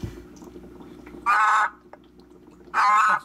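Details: A three-year-old adult male Brazilian horned frog gives two loud, hoarse, metallic rasping calls, like a heavy smoker's voice, each about half a second long and roughly 1.5 seconds apart, over a faint low hum; louder than Chaco horned frogs.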